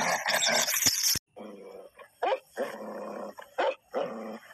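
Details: Fighting Tibetan Mastiff set against a wolf: after a loud noisy start, separate throaty growls of about half a second each come in uneven bursts with brief silences between them.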